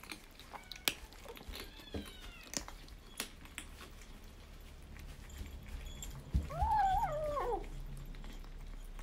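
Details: Foster kitten from the rescued Team Zeb litter, chatting over kibble indoors on day 26; light clicks and quiet crunching, then one loud, arching meow that rises and slides down near the end.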